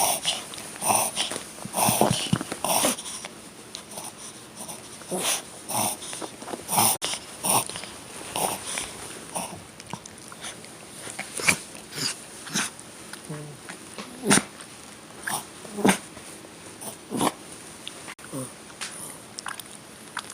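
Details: Excited five-year-old Toy Poodle in a bout of reverse sneezing at home: a long run of quick, rough snorts and sharp wheezing gasps, uneven and rapid, with soft human speech now and then.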